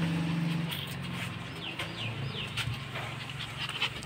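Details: A Lhasa Apso puppy at a pet clinic in Kolkata, India, gives a few thin, high whimpers that slide downward over a low steady hum.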